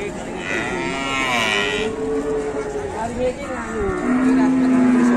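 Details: A handler calmly leads raging cattle in Indonesia while the animals give drawn-out, wavering moos, one ending in a steady low held tone, amid light crowd sounds.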